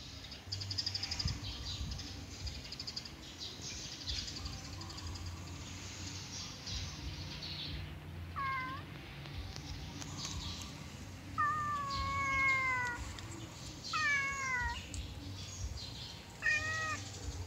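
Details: A yellow cat during play gives several short meows in the second half, each a rising-then-falling tonal call with clear harmonics, amid steady low rumbling background noise and faint scratching.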